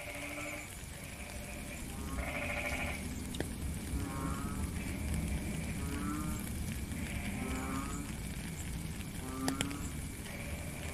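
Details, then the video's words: Several frogs call in the rain, recorded in real time in nature: low, moaning harmonic notes about half a second long overlap with higher buzzy, pulsed croaks, repeating often over a steady hiss of rainfall. "Frog and Rain"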